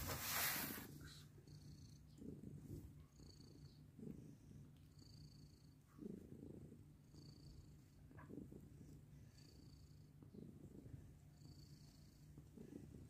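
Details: Mother cat with adopted kittens, purring indoors: a steady low rumble with soft rhythmic pulses through the whole stretch, broken by a brief loud rustle at the start and faint high squeaks now and then.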